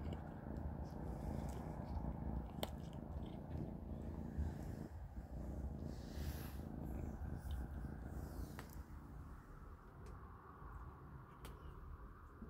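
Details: Kittens Panda, Grayie and Goldie eating a large dinner of cat beans indoors: a steady low rumbling purr runs throughout, with scattered sharp clicks of kibble and bowl.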